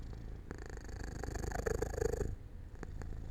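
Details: Cat falling asleep near an open window in the sunlight, with a soft, low pulsing purr swelling through the middle of the short stretch, then fading to quieter rumbling with a few faint clicks.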